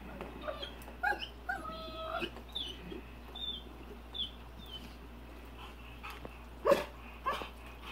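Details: A Rottweiler in his swimming pool barks at a big rock in the water, short abrupt bursts a second or more apart, with thin tonal whines that hold then break off, over a low hum.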